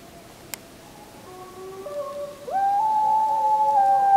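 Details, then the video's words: Several wolves howling on the full-moon night of 31 July 2015, captured with a JVC Everio GZ EX215 HD camcorder: overlapping long, steady tones at different pitches step upward and swell louder together, with one sharp click early on. "Full Moon 31.07.2015 [Wolf Howling]"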